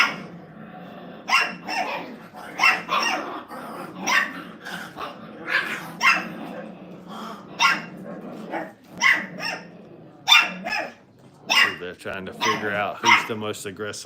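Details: Five-week-old Brittany puppies in a crate at a training kennel give a series of sharp, high yips and short barks, irregularly spaced about a second apart, with a human voice murmuring near the end.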